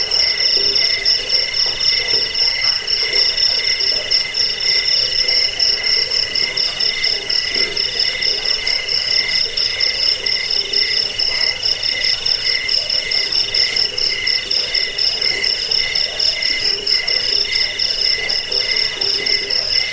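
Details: Cricket chirping, played to drive away rats, lull listeners to sleep and train songbirds; a shrill, high pulsed trill runs steadily and without pause, with fainter lower bands beneath.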